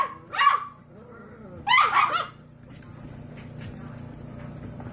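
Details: Six-week-old foster puppies learning to bark in a bark off: two short bursts of high, squeaky yapping barks with wavering pitch, then quiet room noise.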